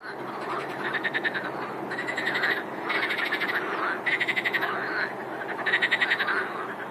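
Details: Chorus of frogs: dense overlapping croaking with bursts of rapid pulsed rattling calls around mid-high pitch, rising and falling in waves every second or so.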